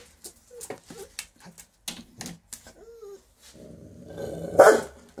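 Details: A half-blind female Rottweiler kept as a guard dog gives short whines and low growls, ending in a rough, noisy bark.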